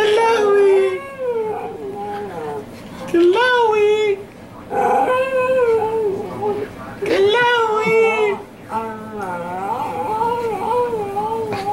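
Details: Neechee, a jealous dog that cannot stand attention going to any other dog, gives drawn-out, wavering whines and howls in bursts of one to two seconds with short pauses, while human voices talk alongside.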